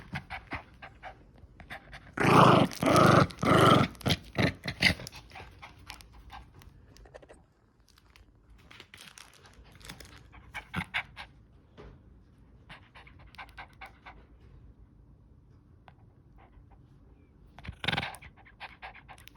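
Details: Pet dog at play indoors; a burst of rough, loud growling bursts between two and five seconds, then soft rhythmic panting and small rustles, with one more short loud growl near eighteen seconds.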